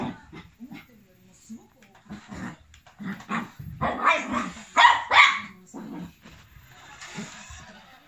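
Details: Male black, tan and white long coat Chihuahua, aged 1 year 9 months, fighting a radio-controlled Lamborghini toy car it treats as an enemy; a quick cluster of sharp, high barks peaks midway amid softer scattered sounds.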